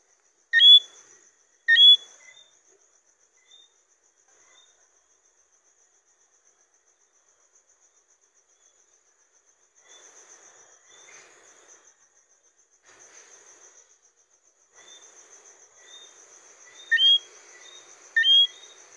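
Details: Johnstone's whistling frog (Eleutherodactylus johnstonei), a small, mainly nocturnal frog, gives loud, short, upward-sweeping whistled notes in quick pairs near the start and again near the end, with quiet gaps between and a steady high insect trill throughout.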